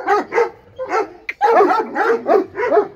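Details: Bully Kutta dogs fighting: rough, harsh barks and snarling growls in quick bursts, several overlapping, with a brief sharp yelp in the middle.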